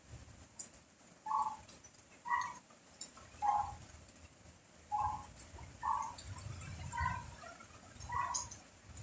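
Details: Dog barking during rain and strong wind: short, clipped barks repeated about once every second, seven or so in a row, over a steady hiss of rain and low gusting wind.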